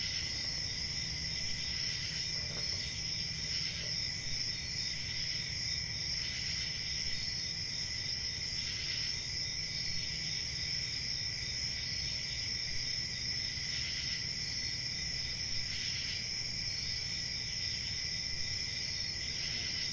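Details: Unbroken shrill cricket chorus, a bright high trill with a fainter lower band, gently swelling in brief pulses every few seconds above a dull background rumble.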